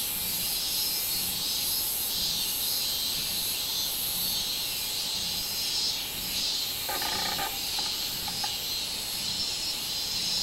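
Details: Minminzemi, the robust cicada, recorded 24 July 2016: a dense, piercing, high-pitched drone pulsing in regular beats, with a short, lower rattling burst about seven seconds in.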